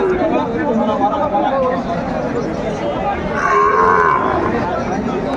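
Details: Sahiwal bull calves at a busy livestock market on 30 June 2024, where a farmer from Pabna is buying: a drawn-out harmonic moo rises above a steady din of crowd chatter and men talking.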